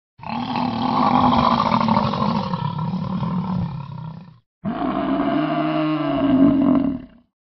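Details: American bison. Two drawn-out roaring bellows come from an American bison, the first about four seconds long and the second shorter. Each is a deep, throaty, steady rumble with a slight rise and fall.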